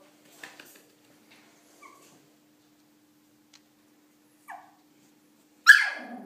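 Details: Shih Tzu puppy named Milo, afraid to get down the stairs indoors, gives a few faint short whines, then a louder high, falling whimper near the end; a person coaxes him in Hebrew in a small room.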